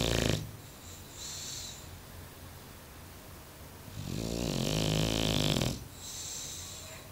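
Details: Deeply sleeping Bulldog named Mario gives one long, loud, vibrating snore lasting nearly two seconds midway, flanked by a short snort at the start and softer breathing afterward.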